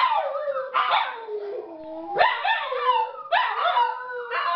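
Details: Domestic dogs in a howling bout started by their owners: drawn-out falling howls punctuated by rising yelps about once a second, with layered overtones and two or more voices together.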